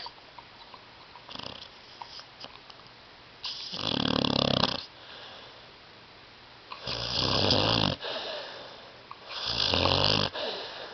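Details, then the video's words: Tyson, a pet dog asleep on a love seat, snoring loudly indoors; three long, rough, roaring snores about three seconds apart, each a broad rasping burst. "DOG SNORING"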